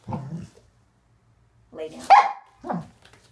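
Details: A short burst of excited barking from Waffle, a male Corgi, during trick training after being told to lie down, with a brief bark, a louder higher yelp and a final lower bark, separated by quiet.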